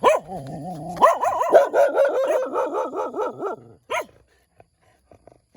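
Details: Morning barking from a small puppy: a wavering, whiny cry opens, then a rapid, bouncing string of roughly a dozen yelping barks, a brief pause, one last bark, and a few faint clicks.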